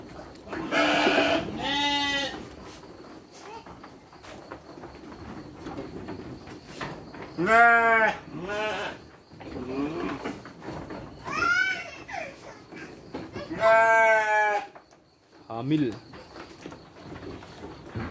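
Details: Sheep bleating while being given dry feed alongside children on a livestock farm: several wavering, harmonic-rich bleats in short bursts spread across the clip, mixed with children's and adults' voices talking nearby.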